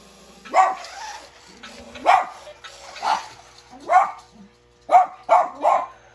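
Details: In winter, a Bichon Frise reacting to an RC toy gives seven sharp, high barks at uneven intervals, ending in a quick run of three.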